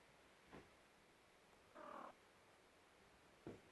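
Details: Three-legged domestic cat, woken from sleep to be petted, gives a short soft chirp near the middle, flanked by two brief faint sounds, in a quiet indoor room.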